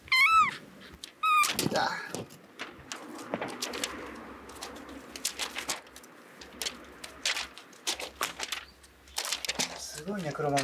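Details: Rescued kitten Kuromame, on day fourteen after being saved soaking wet from a road, holds on to prey it caught in a cat run. It gives short, rising-falling mews at the start and end, between rustling and a woman's soft talking.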